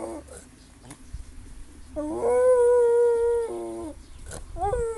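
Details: Pet dog making funny noises: brief whimpers, then a long, steady, tonal howling whine of about a second and a half that breaks into a lower whine, and a final short rising-then-falling whimper.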